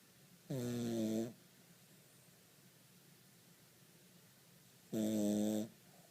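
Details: A sleeping Cavalier King Charles Spaniel snores twice, about four seconds apart. Each snore is a droning, nasal rumble lasting under a second with abrupt edges, with a quiet indoor room between breaths.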